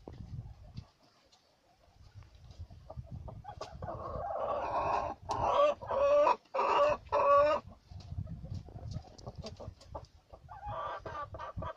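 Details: Pet guinea pigs, domestic rodents: after quiet rustling, a run of about five loud, shrill squealing calls in quick succession, then softer squeaks and scuffling.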